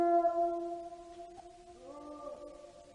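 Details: Gray wolves howl in long, steady, mournful tones, with a second voice joining higher partway through; Gray wolf.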